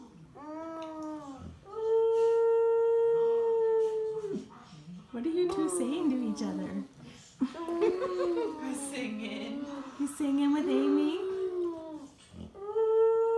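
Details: Amy, a 5-year-old Siberian Husky, sings with an infant almost 15 months old in a small room: steady sustained howls open and close the passage, and babbling and voices fill the middle.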